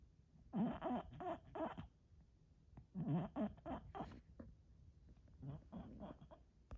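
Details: Bulldog asleep, snuffling and snoring in quick clusters of short, rough grunting breaths, three bursts over several seconds with brief quiet gaps between them.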